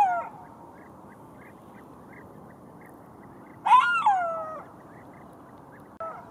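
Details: Golden jackal giving a rising then falling wail lasting about a second in the middle, with cut-off cries at both ends and faint short repeated chirps in the quiet hissing background.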